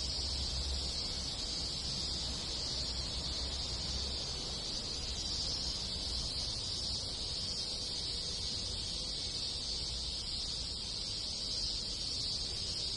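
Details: Many cicadas in a rural Japanese village in summer sing in a steady, high, buzzing drone that never breaks, with other insects in the background.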